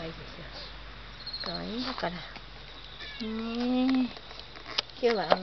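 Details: Mike, a cat back after a long absence, meowing affectionately so its caretaker will not leave: scattered meows, one long sustained rising call in the middle, and a sharp final mew.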